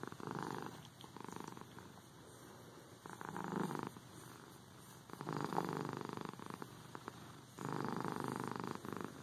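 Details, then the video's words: Cat purring with rhythmic rumbling swells, louder bursts alternating with quieter stretches as it breathes, each phase lasting about one to two seconds. "Cat Purring The Most Relaxing Sound Ever"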